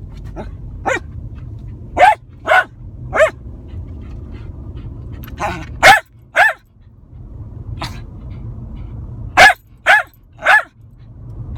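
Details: Lakeland Terrier barking inside a car: sharp, short barks, some single and some in quick pairs or triples, spread over the recording with pauses between, over a steady low engine hum.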